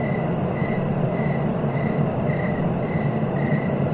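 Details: Cricket chirping in steady, evenly spaced pulses about twice a second, each a short buzzy trill on a fairly low pitch, over a constant low rumble and hiss that is louder than the insect.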